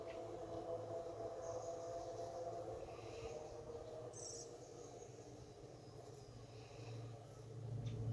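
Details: Activity at a honey bee hive entrance about 45 minutes after a robbing episode, late afternoon at 5:15 pm; a continuous low droning buzz with steady overtone bands, swelling slightly toward the end, and a short faint high squeak.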